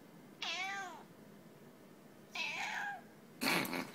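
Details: Pet cat calling twice with clear arched meows about two seconds apart, the second slightly rougher, followed by a sudden broadband noisy burst at the end, over low hum.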